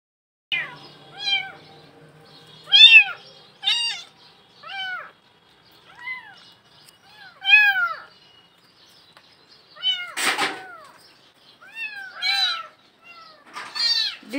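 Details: Cat inside a well in Bangladesh, crying out with a long series of harmonic, downward-curving meows at irregular intervals, some high and strained, with one loud harsh burst near the middle.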